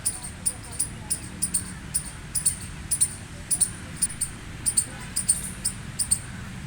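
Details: Gray squirrel calling with rapid, high-pitched chirps, mostly doubled, spaced about every half second in an even rhythm against a low continuous rumble.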